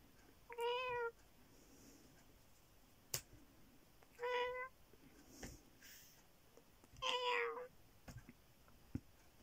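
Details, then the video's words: Bear, a pet cat, gives three clear meows about three seconds apart, each brief with rich harmonics, the last slightly longer and wavering; soft clicks and low room hiss between calls. "my cat Bear meow"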